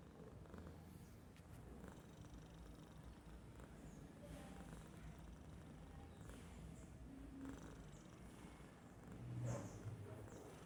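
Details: Sleeping domestic cat snoring at rest, giving a continuous low rumble with gentle swells in loudness and a slightly louder breath near the end, with no other clear sounds.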